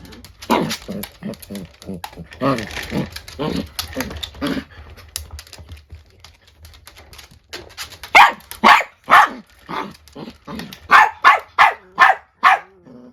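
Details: Female Chiweenie, a dachshund-Chihuahua cross, barking angrily at an older dachshund: a fast run of small yappy barks under a person's voice, then loud, clear barks repeated about twice a second.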